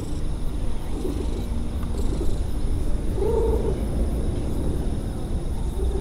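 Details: Stray cat purring while meowing, mostly a continuous low rumbling purr with one faint, brief mew midway through.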